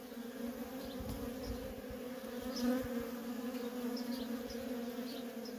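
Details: Steady droning buzz from worker honey bees at a feral colony, swelling briefly as one flies near, with a few faint high chirps in the background.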